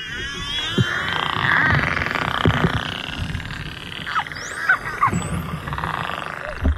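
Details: Curious bottlenose dolphin approaching a boat, heard underwater: thin whistles that rise and fall in pitch, some sweeping sharply upward, with scattered sharp clicks over steady hiss and a low rumble.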